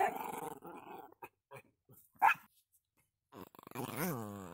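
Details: Pet Pomeranian named Chuck growls in a low rumble indoors, then falls quiet before a rising and falling whine with wavering tones; a human voice is faintly heard.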